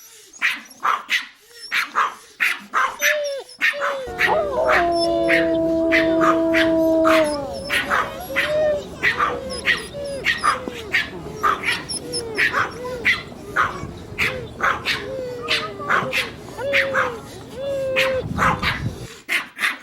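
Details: Small dogs barking quickly and unevenly, about ninety short sharp barks a minute, with whiny rising cries between barks and a steady droning tone for a few seconds early on.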